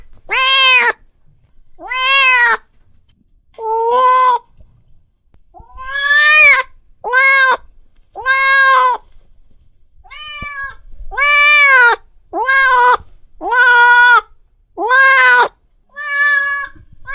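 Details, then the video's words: Domestic cat giving angry meows, drawn-out harmonic wails rising then falling, delivered in an irregular run with brief gaps, some calls longer and strained, quiet background. "Suara Kucing Lagi Marah"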